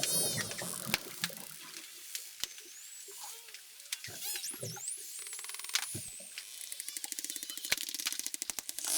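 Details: Dolphins recorded underwater on the Mesoamerican Reef in the Mexican Caribbean near Cancun give high, sweeping whistles over bursts of sharp clicks and rapid buzzing click trains.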